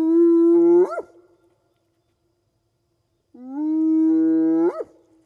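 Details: A spotted hyena gives two long, low whoops, each held steady and then swooping sharply upward at the end; these whoops carry over long distances to keep in touch with clan members.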